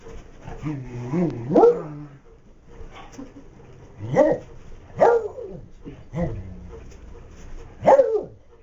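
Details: Max the Beagle opens with a wavering, whining yowl, then fires off a run of sharp barks roughly one second apart, each rising and falling in pitch, in a quiet room.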